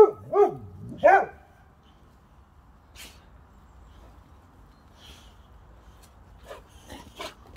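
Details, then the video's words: Two pet Boxers, Rex and Sammie, barking at nothing; two strong barks about a second apart open the clip, followed by quiet with faint clicks and a few soft distant sounds. "Silly boxer Rex and Sammie barking at nothing!"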